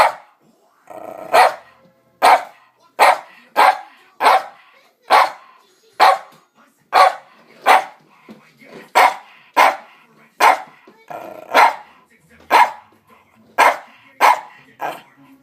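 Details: Household dog barking insistently while people sit at the table; a long run of about twenty loud, sharp barks, roughly one every three quarters of a second, with brief pauses.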